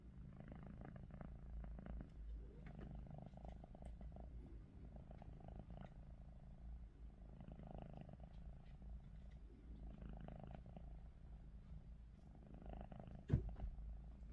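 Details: Snoring from Ruby, a house cat lying with eyes open: gentle, low wheezy breaths every two to three seconds, with one sharp knock near the end.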